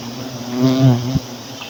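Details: Honey bees buzzing at a low-hanging hive as one person harvests it for honey; a steady low droning hum swells briefly in the middle, with a short knock near the end.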